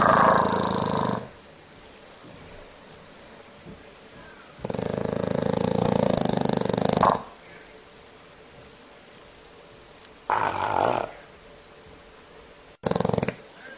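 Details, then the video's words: Bulldog snoring in loud, rough, rasping breaths lasting one to three seconds, separated by quiet pauses of several seconds, each snore noisy with a hollow nasal tone. "Bulldog Roncando"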